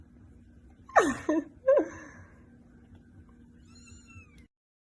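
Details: Kitten indoors making a sharp falling squeak followed by two short chirpy meows within a second, then quiet with a faint high whistle-like tone near the end.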